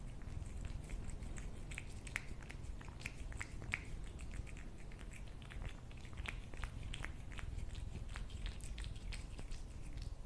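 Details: Steady cat chewing over about ten seconds, dense clusters of crunchy clicks and lip smacks against a dull low background rumble.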